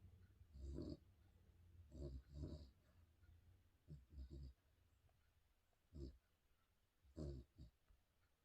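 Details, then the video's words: Snoring spaniel dog giving deep, gruff, uneven snorts and rumbling breaths in irregular bursts, some doubled, with softer breathing between them. "Snoring spaniel dog"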